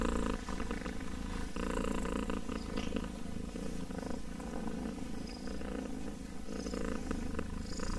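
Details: Continuous low, throbbing purr of a kitten, even and unbroken, with a few soft higher scratches and rustling sounds now and then.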